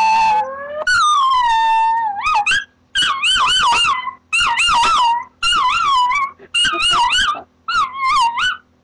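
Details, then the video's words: Peppa, a dog, howling loudly when sirens are switched on: repeated wavering, warbling howls in bursts of about a second, with strong tonal overtones, sliding up and down, separated by brief pauses. "dog howling at siren"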